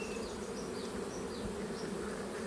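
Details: Dense swarm buzz heard while honey is being taken from a bee colony. The whirring hum stays even and unbroken throughout the short stretch.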